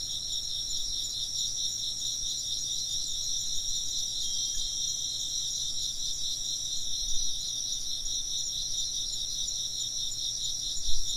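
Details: Insects keep up an even, shrill chorus of fast-pulsed trills at several high pitches, joined by a faint ringing tone and a couple of soft low knocks near the end.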